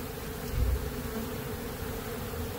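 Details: Honey bees from a large hive built inside the wall of a motel carport, removed because it troubled tenants; a dense, steady low hum of many bees fills the clip.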